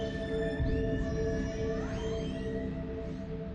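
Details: Orcas heard on an underwater hydrophone as they approach a boat with engines cut, nervous and communicating by vocalization: rising and falling whistles and squeals over a steady low hum.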